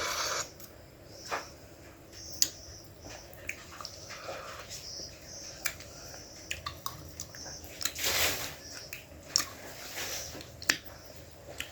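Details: Wet chewing and squishing at night, with scattered sharp clicks and soft rustles; no animal voice stands out.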